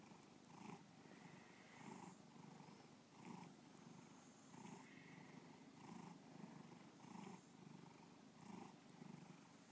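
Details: Bubba, a pet cat, purring indoors in a steady low rumble, with breathy bursts pulsing roughly every 1.3 seconds as the purr cycles through each breath.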